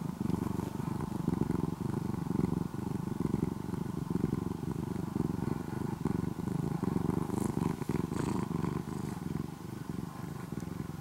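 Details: Orange-and-white former stray kitten living almost as a house cat in Japan gives a deep engine-like purr, continuous low throbbing rumble with rhythmic inhale and exhale swells over eleven seconds, a few faint clicks.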